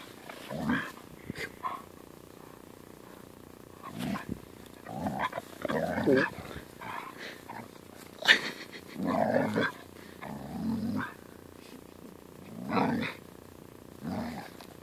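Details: Irritated Siberian Husky being pestered by a playful German Shepherd pup. Repeated throaty, moaning growls and grumbles come in uneven bursts roughly every one to three seconds across the clip, mixed with scuffling sounds from the play.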